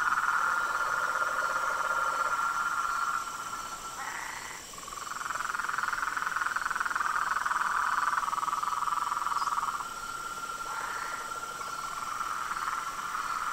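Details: Frogs, toads and treefrogs calling together at dusk from a pond beside a veranda: unbroken, pulsing trills that overlap, briefly shifting higher and dipping quieter around the middle before swelling again.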